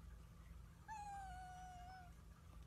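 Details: Pet cat making one clear meow that lasts just over a second and sags slowly downward in pitch, with a faint low background rumble.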